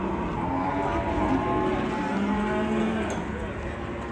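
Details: Enraged cow rampaging after a rope tightened around its neck, having charged an elderly man; low, drawn-out harmonic mooing runs through most of the clip, with steady background noise and faint voices.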